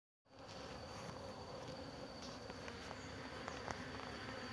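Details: A steady, dense hum of many worker honey bees buzzing while pollinating a flowering jabuticaba tree, with brief louder passes of nearby bees.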